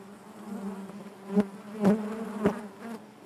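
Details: Inside a honey bee hive, a continuous droning hum carries layered harmonics, and three sharper, louder buzz bursts come from individual bees flying close past.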